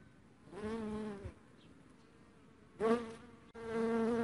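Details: Dark honey bee buzzing in two passes, a steady droning hum with a strong low tone and rich overtones. The first lasts about a second, and a second louder drone starts near the end after a quiet gap.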